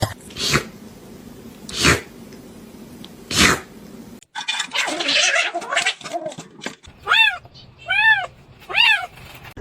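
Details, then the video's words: Domestic cat screaming: three harsh, broadband bursts spaced over four seconds, a dense noisy stretch, then three loud arched, harmonic wails roughly a second apart. "Screaming Cat"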